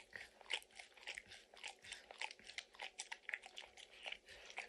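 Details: Dog named Max lapping peanut butter and kibble from an orange mat. Rhythmic wet licks and smacks repeat about every third of a second, with a crisp crunch here and there.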